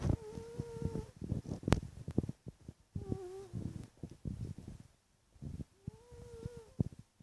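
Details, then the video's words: A sleeping cat snores indoors: each drawn breath carries a thin whistling nasal tone over rough, crackly pulses, with three such breaths roughly every three seconds and short quiet gaps between. "Cat Snore"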